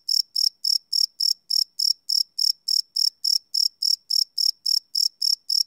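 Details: Night-time cricket song captured live with a Sony PCM D100 recorder, a shrill chirp pulsing roughly three to four times each second in a regular, unbroken rhythm against complete quiet.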